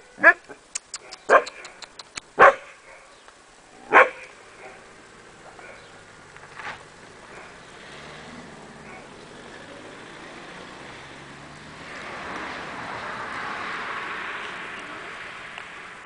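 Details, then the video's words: Akita Inu puppies giving four short, sharp yapping barks within the first four seconds, then falling quiet while a soft, rising rush of background noise fills the rest of the recording. "Chiots Akita Inu"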